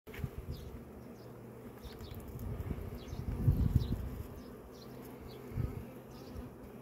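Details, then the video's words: Honey bees around a beehive, a steady low droning hum with harmonic bands, swelling in brief louder bursts as bees pass close, faint high ticks above. "Bees making Honey"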